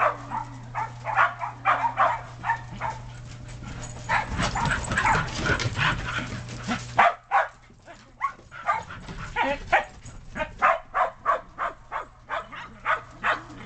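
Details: Shetland Sheepdogs and puppies in snow, the dogs romping and barking: rapid repeated barks, about three per second, with a noisy rustling burst in the middle and a low hum.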